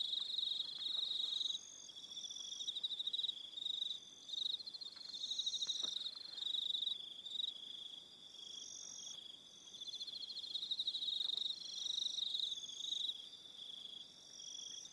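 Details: Evening insect chorus of crickets, Aroha Island, New Zealand: rapid pulsed high trills, roughly four pulses a second in bursts, several callers overlapping, with faint clicks below and occasional higher tones.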